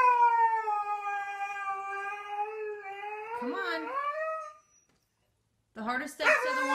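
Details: Pet Siberian Husky 'talking': a long, steady, mid-pitched howl held for about four seconds that bends into a wavering, rising phrase. Silence follows, then a short, rough burst of yodel-like vocalizing.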